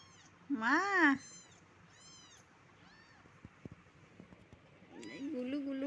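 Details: A domestic cat gives one loud, drawn-out meow that rises and falls, then several fainter meows, while a person speaks softly and affectionately in Bengali nearby.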